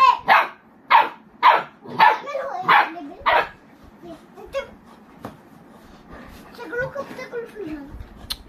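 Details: Boerboel, or South African Mastiff, one of a pair of dogs living in Egypt: six deep, loud barks spaced about every half second, then quieter mixed sounds with people talking in the background.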